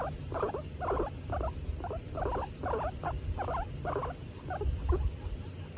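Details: While being stroked, Tomato the female skinny pig happily utters a regular series of short, bubbling squeaks, roughly two each second, with low rumbling underneath.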